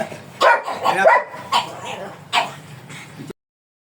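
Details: A black German Shepherd stud dog at Manaoag, Pangasinan, gives a few separate barks, a quick pair first, then two single barks spaced about a second apart, before the sound cuts off abruptly.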